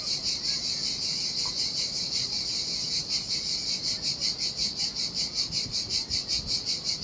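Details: A steady high-pitched cicada chorus rings out in the heat by the Sardinian sea, pulsing evenly around two and a half times per second while gentle surf murmurs low in the background.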